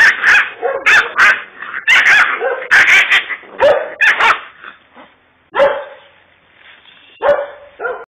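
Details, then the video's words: Kangal puppy, a little fighter dog from a Kurdish setting, barking in quick high-pitched yaps that come in a dense run, then thin out into a few spaced, whining yelps. "Kangal Puppy Fighter Dog Kurdish"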